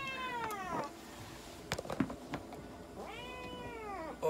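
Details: Two loud, harmonic-rich meows from Mocha, a Munchkin cat being examined and having blood drawn at a Nagoya animal clinic, each arching up then sliding down, separated by taps and handling clatter.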